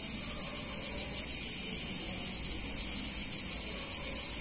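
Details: Cicadas sing a steady, high, shimmering buzz without pause on a hot summer day in an Italian town.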